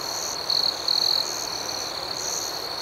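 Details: Crickets chirping at night: a pair of brief, high, metallic trills near the middle, set against an unbroken background of softer, rhythmically pulsing insect chirps.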